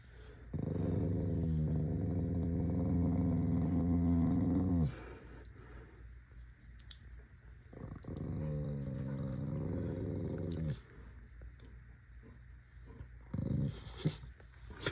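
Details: Angry corgi dog growling in two long, low, throaty bouts separated by a quiet stretch with faint clicks and knocks, then a brief final rumble.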